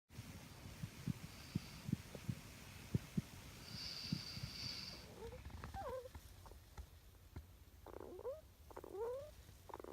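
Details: Kaito, a pet male Richardson's ground squirrel, father of another pet, talking or snoring in his sleep, undisturbed even when his bed is touched; soft low clicks first, then faint squeaky chirps with rising and falling pitch in the second half.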